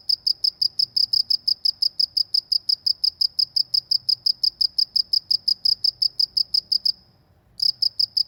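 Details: A countryside cricket keeps up a fast, even run of shrill chirps, several each second, then pauses for under a second and starts its bright pulsing again.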